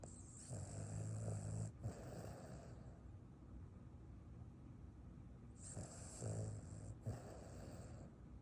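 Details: Sleeping Boston terrier snoring after a run: two soft, low rasping snores about five seconds apart, each followed by a hissing breath, in a quiet room.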